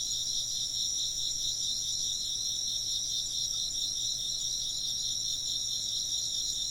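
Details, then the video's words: Chirping insects fill the air with a constant high, shimmering trill, several overlapping callers pulsing evenly from start to finish over a faint, low, steady hum. "風鈴の音と虫の声 - wind chimes and chirping insects"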